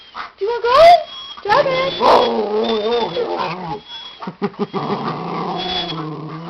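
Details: Five-year-old female Papillon yodeling, eager for her walk: wavering, warbling vocal sounds sliding up and down, a long quavering stretch, then a short series of clipped sounds and a final wavering moan.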